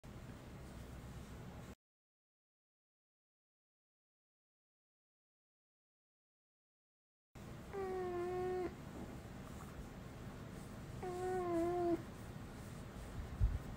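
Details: Uni, a pet dog that since puppyhood has never barked a proper woof, gives two steady, humanlike sustained 'aah' tones about a second each, level and slightly wavering, separated by a pause, over low room hum.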